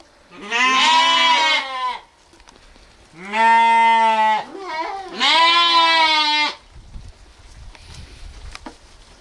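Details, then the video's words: Strong, full-throated sheep bleats, three long wavering calls about two seconds each, closely spaced, followed by a quieter stretch with faint low rustling. "sounds of sheep , Sheep Sound , lamb noises"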